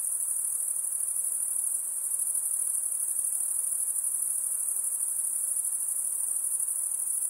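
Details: Insects calling beside a calm lake: constant piercing high trill, steady in level from start to end, over faint hiss.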